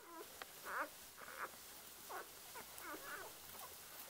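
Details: One-day-old Border Collie puppies giving faint, short high squeaks and whimpers, several brief chirping notes spaced about half a second apart over a quiet background hiss.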